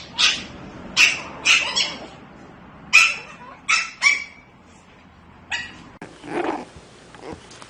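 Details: Chiweenie puppy giving a run of short, high, sharp yips, six quick bursts spaced about half a second to a second apart, then a softer, breathy yelp near the end, indoors with low background hum.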